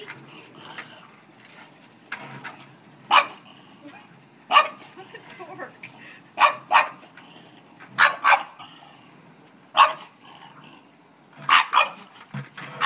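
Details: French bulldog indoors trying to attack a bucket full of dog hair: short sharp barks and yips in bursts, some doubled, spaced one to two seconds apart, with faint speech in the background.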